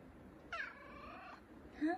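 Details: A big male F2 Savannah cat, gentle and affectionate, gives a drawn-out, tonal meow that holds steady and then dips, followed by the start of a second meow while his owner greets him.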